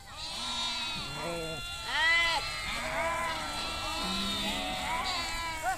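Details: Nomadic Kashmiri sheep herd grazing outdoors: many overlapping wavering bleats from several animals, some high and quavering, others lower and shorter, calling almost continuously with brief gaps, one louder bleat near the middle.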